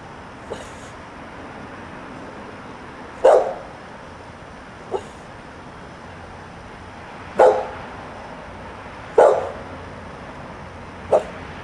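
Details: Outdoor dog barking on a Sunday morning with its family inside: six short barks at irregular intervals, some loud and some faint, separated by quiet stretches and low background hum.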